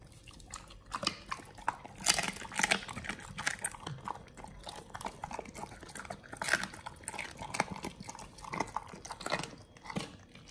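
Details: Raw-fed Pit Bulls chew frog legs, soft shell crab and duck feet, giving crisp crunches and moist smacking clustered in bursts of bites, separated by quieter gaps.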